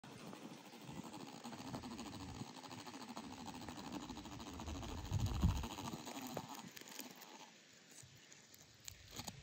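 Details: Carpenter bee inside its burrow, giving a low, muffled droning buzz with faint stacked overtones. The buzz holds steady for about six seconds, then thins and fades, over a background of low rumbling noise.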